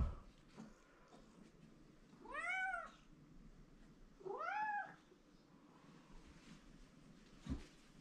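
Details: Domestic cat named Mike, a male who likes his owner very much, meowing indoors for attention; two arching, harmonic-rich meows about two seconds apart, with quiet room noise between.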